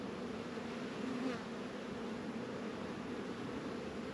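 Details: Colony of honey bees busy at their hives in a northern Kentucky apiary, 72 degrees in February; a dense, even droning buzz of many wings holding steady throughout, with a faint rising whine around the first second.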